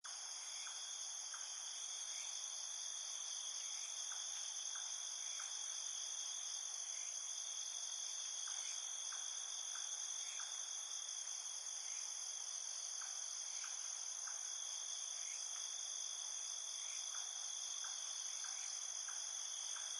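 A night chorus of field crickets: steady, high, shimmering trills with soft chirps pulsing through.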